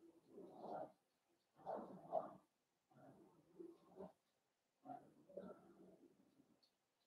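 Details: Four-week-old Cavalier King Charles Spaniel puppies in a home puppy pen, during socializing with other dogs and first tastes of puppy mash: four rough, grumbling whimper bursts of under a second each, spaced about a second apart, low and husky.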